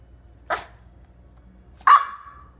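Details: French Bulldog puppy, startled by hiccups after playing in snow, gives two sharp barks, the second ending in a short whining yelp; quiet room background.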